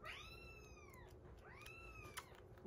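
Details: Rescued kitten on its 47th day of care, indoors, while kittens eat weaning food and a baby cat drinks milk: two clear, drawn-out meows, each rising then falling in a smooth arc, about a second apart, with a quiet room hum behind.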